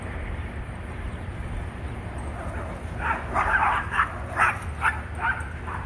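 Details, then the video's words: Two Rat Terrier siblings, Bandit and Jewel, playing in a back yard; a run of short, sharp high yapping barks in quick succession after a quiet lead-in, with a man's voice nearby. "Happy Playing Rat Terriers"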